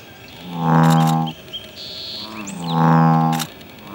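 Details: Male American bullfrog defending its territory: two deep, resonant, droning croaks, each lasting under a second and spaced about two seconds apart, with faint bird chirps and whistles in the background.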